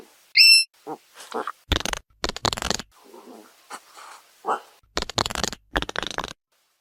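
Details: Hedgehog giving soft grunts and snuffles: one brief high squeak opens, then broad, breathy snorting bursts and rough huffs come in irregular groups, with a quieter murmuring stretch in the middle.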